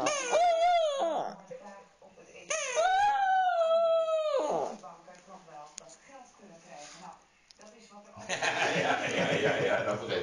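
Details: Pet dog crying and howling while playing with a stuffed toy indoors: two long, sustained howls with rich harmonics, each about two seconds, followed by quieter whimpers and then a burst of broadband rustling noise.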